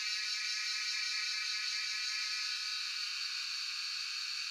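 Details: Jhyaukiri cicadas singing in Shivapuri National Park (Tarkeshwor), phone recording: a loud, even, hissing buzz with fast pulsation, roughly two to three throbs per second, steady from start to finish.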